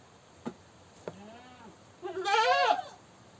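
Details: Goat screaming: two soft clicks and a faint low wavering bleat, followed by one loud, harsh, quavering bleat near the end.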